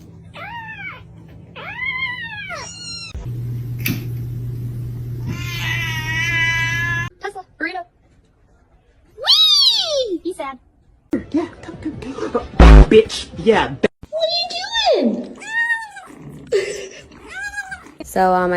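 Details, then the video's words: Kitten meowing: a series of short, arched, rising-then-falling meows repeated through the recording, some high and squeaky, mixed with a steady low hum, brief human voices and clattering noises. "kitten meowing"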